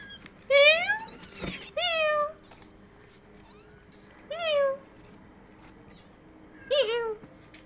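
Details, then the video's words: Kittens reacting to meowing indoors: four meows of mixed shape, one sharply rising, others curving down, separated by pauses, with a sharp click after the first and faint squeaks between calls. "when this kittens heard the sound like them ~meow~"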